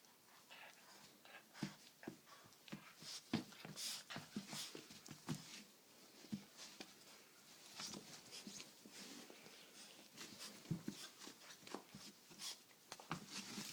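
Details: Great Dane puppy Fiddler, 7.5 weeks old, playing and wrestling indoors with his leashed six-month-old cousin Sandy; short scattered growls, snorts and pants in quick bursts, with scuffling and rustling throughout.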